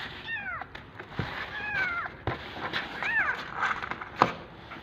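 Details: Hungry kittens waiting for bottle feeding, competing for their turn: several loud, high wavering meows, some rising then falling, spaced about a second apart, with scuffling and clicking noises between them.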